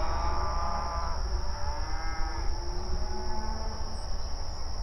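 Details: Open range cattle grazing on pasture, mooing and communicating with each other; overlapping drawn-out harmonic moos rise and fall, partly masked by a steady low rumble and a constant high-pitched whine.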